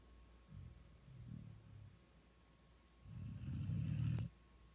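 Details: One-year-old Vizsla snoring while sleeping as a lap dog indoors; two low, rough snores, a short one then a longer, louder rumble near the end, in a quiet room.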